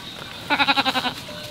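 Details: Sheep at a shepherd's fold in Romania during winter morning feeding before 7 a.m.; a single quavering bleat of about half a second, harmonic and pulsing rapidly, rises out of quiet farmyard background.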